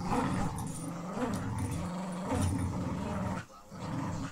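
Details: Pit Bull Terrier Lucy rolls onto her back and lets puppy Clyde win at tug. A continuous low, rumbling growl lasts over three seconds, breaks briefly, then resumes amid rustling. Phone recording.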